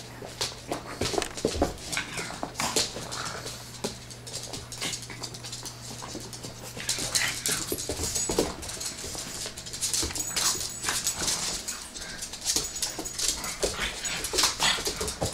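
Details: A Bloodhound puppy wrestles with a pug at play, with short whimpers and grumbling noises among scuffling bursts; a second pug dislikes it.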